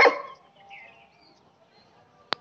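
A German Shepherd gives a single sharp, deep bark, followed by near silence and a couple of clicks.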